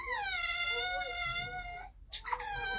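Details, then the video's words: Captive otters at a wildlife conservation park call loudly, "shouting their heads off", with a sustained, high, whining squeal rich in harmonics, then shorter squeaks, heard during a keeper's talk at the binturong enclosure. "Sorry, the otters are shouting their heads off, as you can hear."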